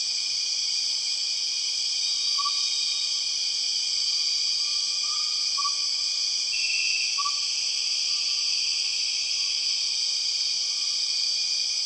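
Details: Empress cicada, the largest cicada species, known as the 6 o'clock cicada, in the Borneo rainforest: a loud, steady, high-pitched droning buzz in layered bands, unbroken throughout, with a few faint short tonal notes from another caller in the background.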